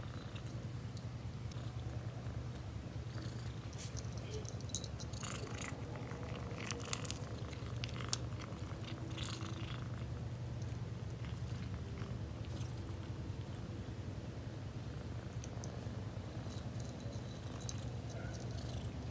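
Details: A pet cat keeps up a continuous deep purr, fast low pulses rolling on without a break, while scattered scratchy rustling and soft clicks come and go over the top.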